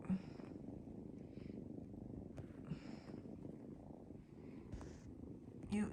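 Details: Several foster kittens climbing on a person on a bed purr steadily, a low rumbling drone that runs unbroken throughout, while the person talks softly nearby.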